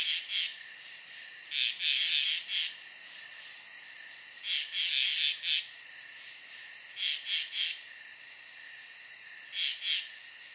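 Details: Nocturnal frogs at a calm pond: groups of three to four high, pulsed chirps recur roughly every two and a half seconds, backed by a steady piercing drone.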